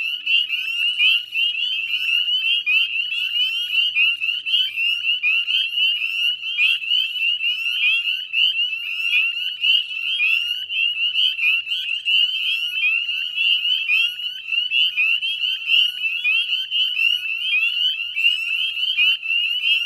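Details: Massed northern spring peepers sing from wetlands of the Chezzetcook salt marsh, Nova Scotia, Canada, at dusk in May 2020; high piping peeps pile over one another in a relentless ringing chorus with no pause.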